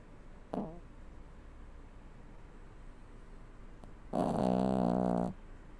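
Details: Toy Poodle aged seven asleep indoors: a faint brief snort early on, then quiet, then one loud sustained buzzy snore lasting just over a second, low and harmonic-rich, with near silence between.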